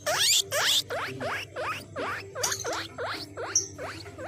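A guinea pig gives a rapid series of high, rising squeaks, roughly two or three each second.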